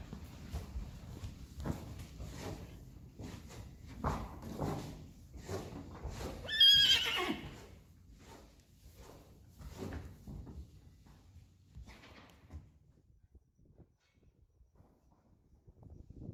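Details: Friesian horses at weaning time: one loud, shaky whinny bursts out midway, a few seconds long and wavering. Scattered thuds and hoof knocks come before and after, with a brief human voice.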